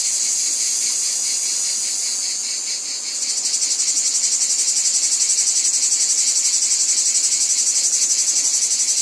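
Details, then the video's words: Cicadas calling in a wheat field: a dense, high, hissing buzz that pulses rapidly, about four beats a second, shifting to a louder, fuller drone after three seconds and holding steady to the end. "Cicadas Ambience | Wheat Field Cicadas Background Noise"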